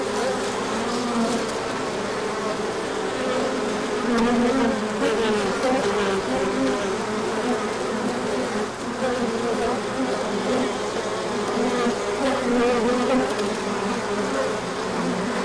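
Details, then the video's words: Honeybees swarming out on a large orientation flight after cold weather, as the sun comes out in late March; a dense, steady buzz of many wings with overlapping droning tones that rise and fall continuously throughout. "Large Orientation Flight."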